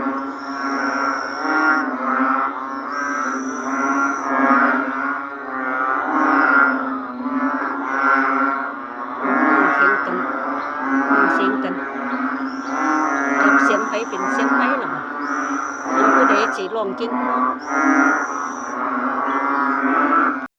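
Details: A dense chorus of narrow-mouthed frogs of many kinds calling together: loud, overlapping droning, bleating calls that swell and fade about every two seconds, with thin high whistled tones drifting above the steady low hum.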